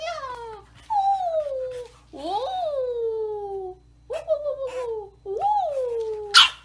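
A bulldog puppy gives a run of long, high, falling whines with rich overtones.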